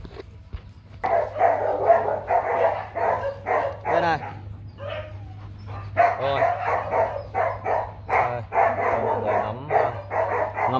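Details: Rottweiler barking at a breeding kennel that keeps a young male stud; rough, rapid barks come in bursts through about ten seconds, with short pauses and a person talking between them.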